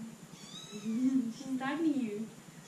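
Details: Young female pet kitten meowing indoors: one drawn-out, wavering mew of about a second and a half that rises, dips, then swells higher before trailing off, over a steady low hum.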